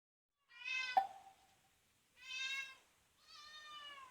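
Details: Domestic cat, once a kitten rescued from a car under repair and now grown, gives three harmonic meows, the first with a sharp click midway, the last longer and falling, indoors with little else heard.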